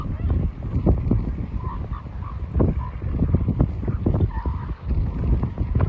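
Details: Northern elephant seals at Point Reyes, Marin County, Northern California, make low, guttural, honking and belching calls in uneven, overlapping pulses over a rough wind rumble.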